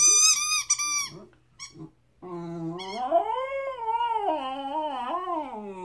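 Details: A 13-week-old Chesapeake Bay Retriever puppy gives high whines, then after a short gap launches into a sustained howl that rises, wavers and dips for over three seconds.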